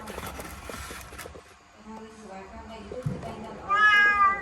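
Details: Domestic kitten trapped in a laundry basket indoors; after a few seconds of low rustling and muffled background sounds, a single loud, bright meow bursts out near the end.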